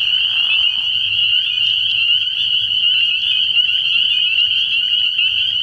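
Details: Spring peepers chorusing at a night-time frog pond in early spring, a thick, high, jingling peep chorus with individual notes flickering through, a short lower rasp at the start and soft low rumbling beneath.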